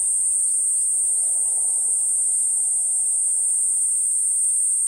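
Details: Platypleura kuroiwae cicada keeping up a continuous piercing high buzz, while a bird adds a run of short falling chirps over the first half and one more near the end.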